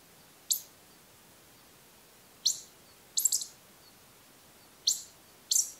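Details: Ezo pikas duet during the autumn pair-formation period in the Daisetsuzan mountains. The female's short, high single squeaks invite the male's continuous calls, and she calls again before and during his run. Squeaks come singly and in quick doubles.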